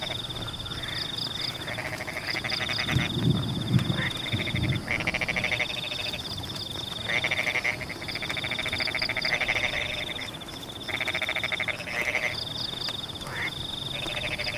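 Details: Frog chorus in rain among rice paddies, with repeated pulsed rattling calls in long bursts throughout, layered over a constant shrill drone, tiny triplet chirps and rain patter, plus a low thumping rumble around three to four seconds.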